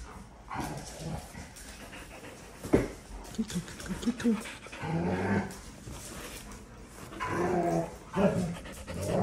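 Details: Puppies at play, an Australian Shepherd among them: scattered low growls and grumbles, panting breaths and sharp thuds, with bursts of rough vocal noise toward the end.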